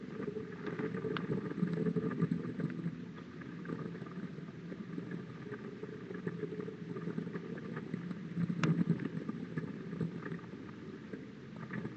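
Only a steady low rumble like a distant engine or wind, with scattered faint clicks and no clear animal call.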